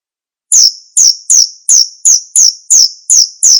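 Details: Male cricket calling with loud, high-pitched, sharp chirps repeated steadily about three times per second after a brief silent start, each note bright and slightly falling; no other sounds.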